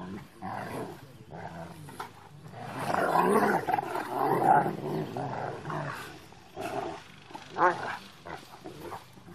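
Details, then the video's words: Big Rottweiler play fighting with a younger Rottweiler, one dog inside a truck; throaty, broadband growls swell into a sustained snarling stretch, fade, then return in short gruff bursts near the end. "Big Rottweiler Play Fighting"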